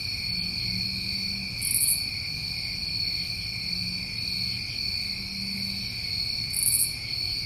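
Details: A New England summertime night chorus of crickets, continuous high-pitched trilling with two brief buzzy bursts, plus faint low drawn-out tones underneath.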